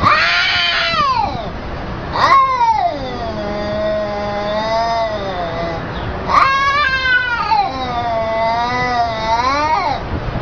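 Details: Domestic cat being scolded, answering with long loud drawn-out yowls that slide down then level off, a second series of wavering, rising-and-falling wails after a brief break, in a room.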